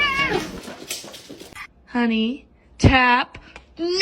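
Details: Domestic cat from a funny-cat compilation giving a few loud, drawn-out meows, each a harmonic wail that rises and then falls, separated by short pauses. Human speech is heard at the start.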